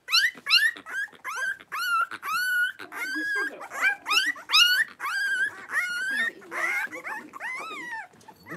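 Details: Five 3-week-old blenheim Cavalier King Charles Spaniel pups, born at New Year, tussling in their pen; a near-continuous run of high, bending yips and whines, roughly two per second, for the whole stretch.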